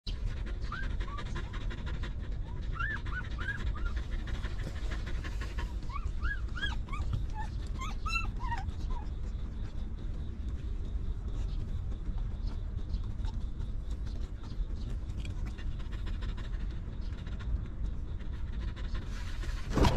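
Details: Puppies from a stray mother dog's litter, living rough before being given shelter and food, give high thin whimpering squeals, each rising then falling, in scattered clusters early on and around the middle, over a steady low rumbling background noise.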